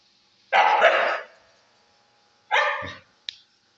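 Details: Angry Siberian Husky giving two loud, harsh, drawn-out barks, the first about 0.7 seconds long and the second shorter, followed by a brief sharp yip, in an otherwise quiet setting.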